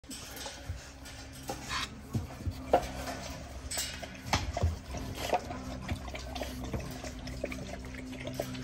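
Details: Running tap water, clinking dishes and cutlery, and faint background music are heard, with no animal sounds.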